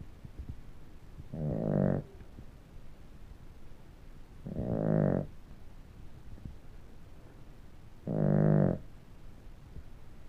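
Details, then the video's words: Sleeping dog snoring: three long, low rasping breaths about every three seconds, each lasting under a second with a rough buzzing tone, separated by quiet pauses with faint background hiss. "Snoring dog"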